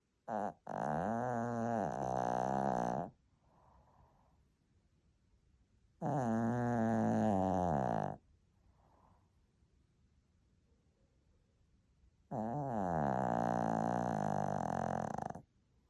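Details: Lacey, a small Shih Tzu, snores loudly while asleep: three long, rasping, harmonic snores of two to three seconds each, spaced about six seconds apart, with soft breaths in the quiet gaps.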